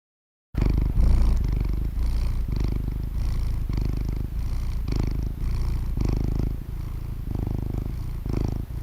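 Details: Domestic cat purring, offered as a relaxing anti-stress sound; a deep, continuous rumbling throb with steady low pulses, swelling and fading in regular breath-like cycles roughly every second.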